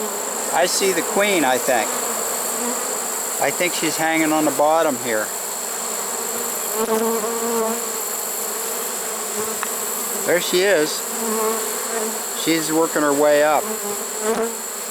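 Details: Honey bee swarm caught in a swarm trap late in the season, early September 2019: a steady, even droning hum runs throughout, broken by several short bursts of a man talking.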